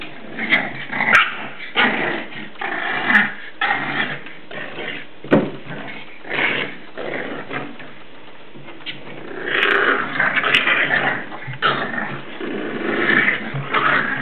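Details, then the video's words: English Bulldog puppies, seven weeks old, at play inside a house, giving rough, rasping growls and gruff little barks in rapid bursts. There is a brief quieter lull midway before the scuffling noise picks up again. "English Bulldog puppies playing inside"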